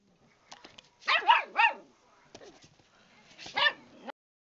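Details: A new puppy fighting with a cat that fights back, giving a few short, high, bending yips with quiet gaps between, plus faint scuffling clicks.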